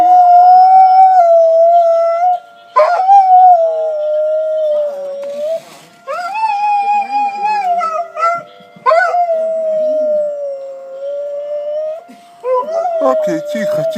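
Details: Pet dog, howling at tornado sirens since it was a puppy, sings along during a weekly Wednesday morning siren test; wavering drawn-out howls rising and falling, broken by short pauses, over a constant siren tone, owner speaking soothingly.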